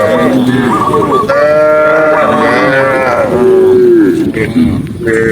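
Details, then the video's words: Herded tame cows running happily down a lush green hill in rural country; long, overlapping moos of different pitches sound almost continuously, some steady and some sliding down at the end. "cow sound cow Moo"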